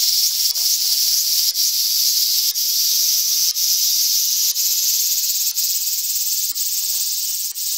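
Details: Continuous shrill sizzle of a large brown cicada from Japan, holding an even high buzz throughout with short regular breaks near each second.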